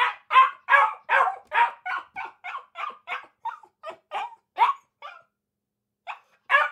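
Akita puppies give a quick run of high, sharp yapping barks that soften and trail off.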